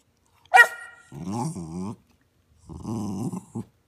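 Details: Caruso, a six-year-old retired show dog, makes expressive talking sounds indoors: a sharp yelp, then two drawn-out, wavering groan-like vocalizations with rising and falling pitch, separated by a pause.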